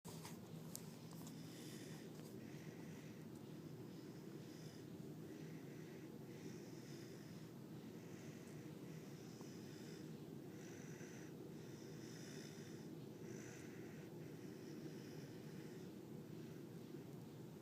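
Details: Siberian Husky puppy named Axel, tired in the morning, snoring loudly indoors: soft hissing breaths rise and fall roughly every one and a half to two seconds over a steady low rumble.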